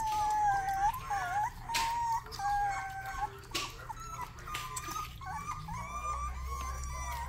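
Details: Young Rottweiler puppy at its first barks, giving a series of drawn-out, slightly warbling high whines, like a small howl, with a low rumble near the end.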